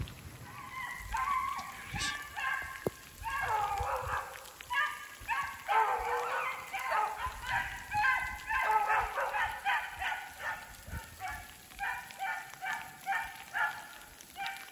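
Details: Beagles Rio and Ripley in full cry on a snowshoe hare's trail, through snow and sleet mixing into rain. Dense, continuous baying: short, tonal, overlapping howls repeated rapidly, with faint rain patter behind.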